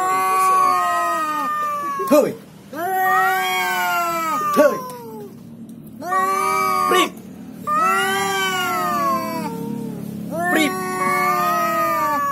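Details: Cat caterwauling on meeting an opponent, a head-butting fight: a run of long, wavering yowls, each a couple of seconds, rising then falling, separated by brief gaps with sharp upward cries, one after another for twelve seconds.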